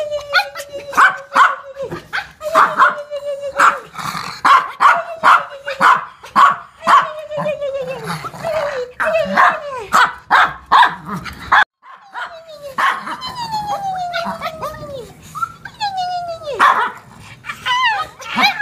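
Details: Toy poodle at a home dog daycare and boarding house, playing with a shih tzu; rapid, sharp yipping barks repeated in bursts, mixed with steady and falling high whines, and a person speaking Portuguese nearby.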